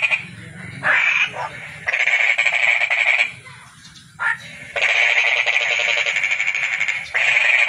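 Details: Calling toad: rapid pulsed trills in long buzzing bursts, alternating with quieter pauses filled by a soft low rumble and faint short notes.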